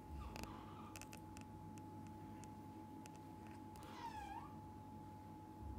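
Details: Cat family indoors, a mother cat with her kittens and the dad cat beside them; one short, harmonic mew bends down then up near the end, with faint clicks and a steady background hum.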